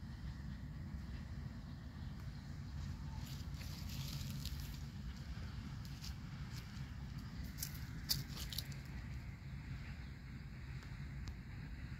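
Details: Outdoor background rumble with faint vehicle noise, light crackles and occasional footstep-like taps, with no animal sound present.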